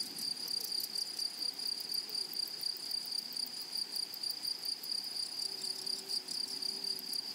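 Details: Grasshoppers calling in a flowery prairie meadow: steady high shrill tone without pause, clusters of fast ticking higher up, and a faint low hum appearing near the end over quiet ambient noise.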